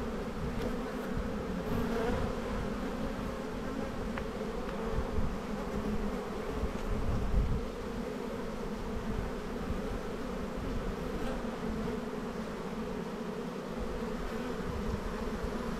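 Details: Open honey bee hive at spring buildup, inspected in a bee yard on 7-9-22; continuous deep humming of many bees with a brighter hum band above, occasional soft knocks as frames are handled.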